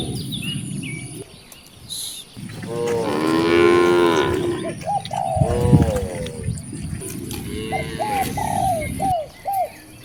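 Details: Dozens of free-roaming cows in nature: a loud, wavering moo in the middle is followed by a second, shorter one. Quick chirping calls are scattered around them.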